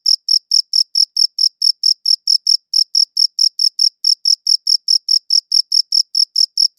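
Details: High-pitched cricket chirps repeating steadily at just over four per second, crisp pulsed bursts with brief gaps, no other sounds present.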